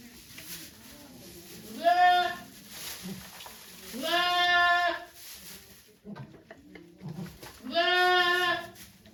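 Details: Goat bleats recorded at Yoshigake farm on 3 May 2023 during Okayu's delivery of twin kids, volunteers attending: three long, quavering bleats spaced about three seconds apart, low murmuring voices between them.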